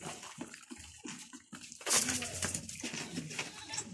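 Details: Domestic goat during a difficult milking while her kids stay close by; a short wavering bleat rises midway through, preceded by rhythmic splashing squirts of milk and followed by more liquid sounds.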